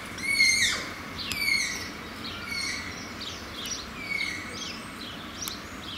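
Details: Malayan tapirs at Zoo Antwerpen whistling: a series of thin, high squeaky whistles that sweep downward, several overlapping, about one per second, loudest in the first two seconds and then fading into a steady background hiss.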